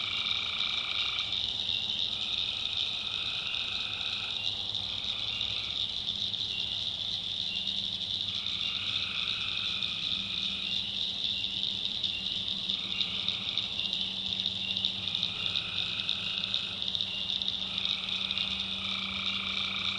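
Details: Tree frogs at night in a swampy North Carolina backwoods: unbroken high-pitched trilling chorus, while lower pulsing calls come in bursts roughly every two to four seconds, and a low hum runs underneath.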